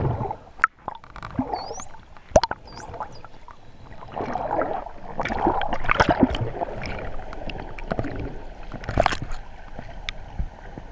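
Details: Wild dolphins on a sunny day, 12 November 2014, in 25°C water, give a few thin rising whistles and sharp clicks over gurgling, bubbling water.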